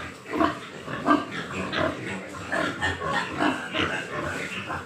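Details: At a West Bengal pig farm in Nadia, Large White Yorkshire pigs give short rough grunts and a few nasal squeals in quick uneven succession, several animals calling over one another.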